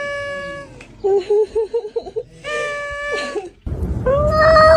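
Long, steady cat yowls alternate with a quick string of warbling, chattering sounds before a rising, strained howl. Background noise swells near the end.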